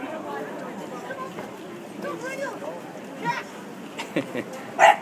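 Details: Dog in Chester town barking at a fake dog made of sand. People talk throughout, then two short, sharp barks come near the end.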